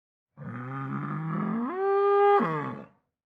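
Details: Bull bellowing in one long drawn-out call lasting about two and a half seconds, starting low and rough, then rising abruptly into a higher, strained tone before breaking off and fading; clean background with no other sounds.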